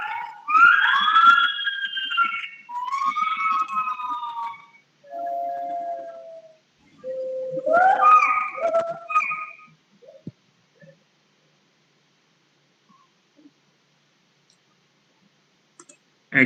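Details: Recorded song of an agile gibbon, known locally as wak-wak, replayed for children. Clear hooting notes with rich overtones rise and fall in phrases over about ten seconds, then give way to near silence with a few faint taps.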